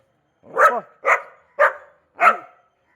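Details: A new Labrador Retriever puppy gives four short, yappy barks at a steady rhythm, roughly every half second, each one bright and slightly falling, with quiet gaps and no other noise around them.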